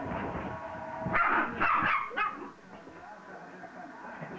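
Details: An excited dog full of renewed energy lets out a quick cluster of three or four loud, rough barks in just over a second, then quieter background noise follows.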